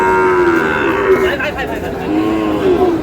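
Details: Sahiwal cattle calves, sold as a pair at a market in Sylhet, Bangladesh; a sustained low moo with a slight falling pitch, then another moo, over background human voices.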